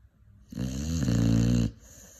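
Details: Five-month-old Cane Corso puppy snoring: a single deep, rumbling snore lasting just over a second, rich in low buzzing tones, then quiet breathing.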